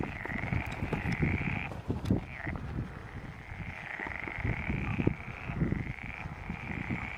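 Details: Frogs singing in a pond chorus at Stagno di Pilo: a continuous high trilling band broken by short pauses, over dense low croaking.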